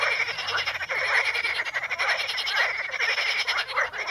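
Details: At the Ispani mires, a dense frog chorus on Potamogeton crispus gives rapid, raspy croaks that overlap continuously.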